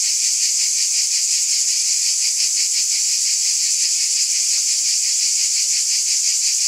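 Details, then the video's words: Cicadas in chorus on a summer night: a dense, unbroken high-pitched hiss with a fast, shimmering pulse of about three beats per second, steady in loudness throughout. "Cicada Ambience SOUND EFFECT"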